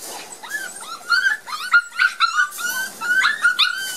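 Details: Shy Border Collie puppies, offspring of Gem and Sky, out in the garden for the first time after their first vaccination; a dense run of high-pitched whining and squeaky yips, many short rising-falling cries close together.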